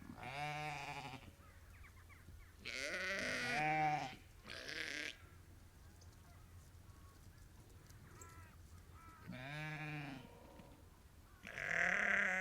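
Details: Ewes and lambs of a sheep farm flock numbering about 30 to 50 calling to one another: wavering bleats of mixed pitch, several overlapping around three to five seconds, more at ten and twelve seconds.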